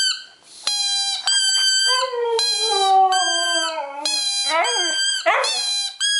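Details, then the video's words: Excited two-year-old male Siberian husky howling when his squeaky ball comes out, a long mournful tone sliding gradually downward, layered with sharp high-pitched toy squeaks and ending in short rough yelping howls. "Siberian Husky Howling"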